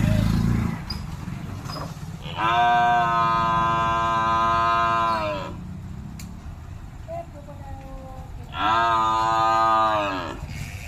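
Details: Buffalo lowing twice: a long, steady, harmonic-rich moo of about three seconds, then a second shorter moo after a pause, over constant low rumbling background noise.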